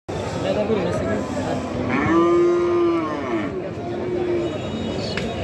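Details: Cattle at a market in Sarail, Bangladesh, ahead of Eid al-Adha 2024: one long, steady low moo swells and holds for about a second before trailing off, set against a dense hum of crowd noise and market bustle.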